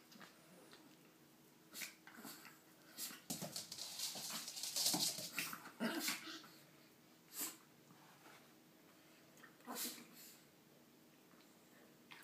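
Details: Several pet dogs playing together, giving breathy huffs, snorts and soft whimpers in scattered bursts, with a denser, louder flurry of scuffling sounds between four and six seconds, then quieter single huffs at irregular gaps.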